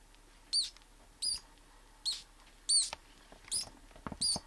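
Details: Pink mouse screaming while being squeezed by a king snake during a live feeding; six short, very high squeaks, each with a rising-falling whistled tone, repeated about every two-thirds of a second over a quiet background.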